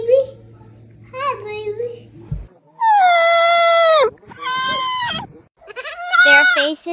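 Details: Goat screams mixed with people talking: a woman's cooing voice, then long, steady, nasal human-sounding screams lasting about a second each, a shorter cry, and a final wavering scream.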